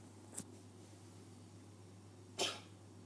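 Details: Pet cat named Jess coughing in a way likened to a human: two short, harsh, noisy bursts, the second louder, about two seconds apart over a steady low hum.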